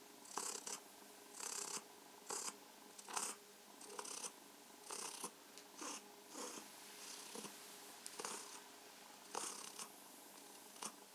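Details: While enjoying caresses and massage, house cat Mausi keeps up a rhythmic purr: repeated rough, breathy bursts near one per second over a faint continuous hum.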